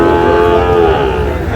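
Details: Sahiwal bull calves at a cattle market where a farmer from Narail is buying; one animal gives a steady, low, drawn-out moo lasting about a second before trailing off beneath market chatter and background noise.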